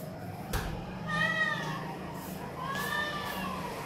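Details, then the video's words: Homeless cats calling for food in the morning; two long arched meows, the first loud and wavering, the second lower and sliding, over steady low background hum. "Hungry & Homeless cats calling loudly for Food"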